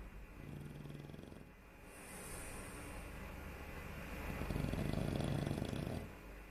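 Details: Sleeping dog named Barry snores in long, low, rasping breaths that rise and fall, the last one louder and buzzier, over a constant background hum.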